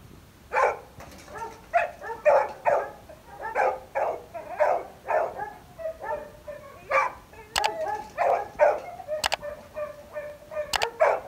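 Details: Labrador Retriever gives a long run of short, sharp barks and yips, about two a second, with sharp clicks mixed in.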